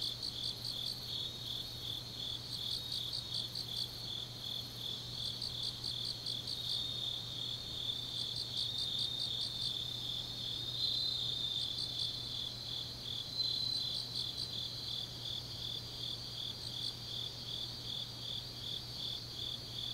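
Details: Several grass insects calling together on a deep autumn night in Changnyeong, South Gyeongsang: a quieter, continuous train of high pulses overlaid by another caller's bursts of faster, clustered clicks every couple of seconds.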